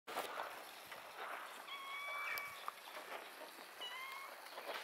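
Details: Cat sitting up in a tree, meowing twice: a drawn-out, slightly wavering meow, then a shorter second one after a pause, over a steady outdoor hiss.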